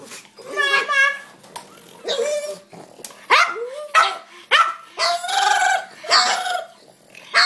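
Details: Pet dog vocalizing at feeding time: a run of drawn-out, tonal whining and yodel-like calls, some rising then falling, in bursts about every half second to a second, with short pauses between.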